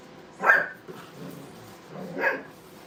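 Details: Brittany puppies at play in a training kennel give two short, sharp yapping barks about two seconds apart, with quiet rustling in between.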